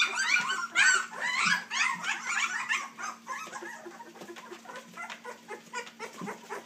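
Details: Three-week-old Dixie x Colby puppies start with loud, bending squeals that quickly fade into quieter, evenly spaced short whimpers and soft yips against a low background hum.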